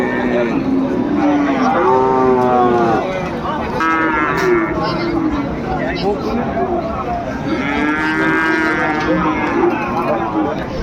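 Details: Sahiwal bull calves for sale at the start of Ambari cattle market, Dinajpur, on 18 November 2024: two long, drawn-out harmonic moos, one near two seconds and another near eight, over steady crowd chatter and men bargaining.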